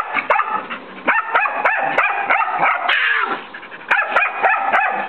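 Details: A year-old white mixed-breed dog barks at a nine-year-old long-haired Chihuahua, trying to get him to play; sharp, yappy barks come in quick clusters with short pauses, one drawn-out whiny bark in the middle, indoors.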